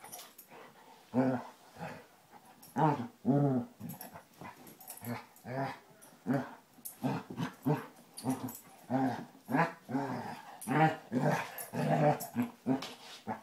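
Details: Basset Hounds Tracker and puppy Ranger rough housing indoors, a steady stream of rumbling play growls and grunts, low and pulsing, with overlapping snarls throughout.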